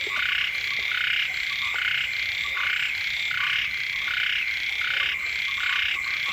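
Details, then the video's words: Frog chorus beside a home after the season's first rains. Grating, pulsed croaks come in dense overlapping bursts over a constant high-pitched hum. "เสียง กบ เขียด ร้อง อยู่แคมบ้าน"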